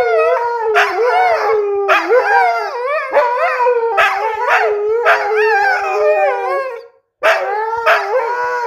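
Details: Siberian huskies arguing back and forth: repeated bursts of bright, warbling, rising-and-falling howls about a second apart, loud and harmonic, with a brief silence near the end before the vocal squabble resumes.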